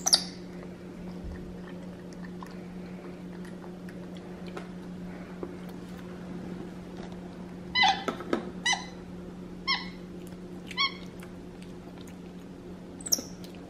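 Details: Capuchin monkey Xander, a pet sitting in a high chair with his chicken dinner, gives a quick run of bright harmonic squeaks in the second half after a mostly quiet start. A constant low hum from the room runs underneath.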